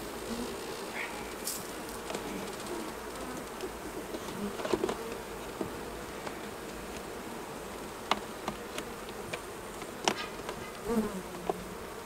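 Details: Honey bees at their hives during a honey harvest, the colony giving a steady low droning hum with a few brief sharp clicks and knocks over it.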